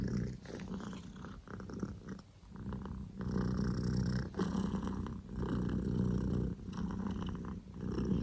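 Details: Booming purr of a male Scottish Fold kitten, Poko J, born 15 October 2019; continuous deep vibration in alternating louder and softer breath phrases, with faint clicks and rustles.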